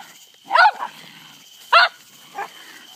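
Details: Night scuffle between a terrier called Charlie and an opossum, with two strong rough barks and a fainter third one, set against a steady high-pitched background drone.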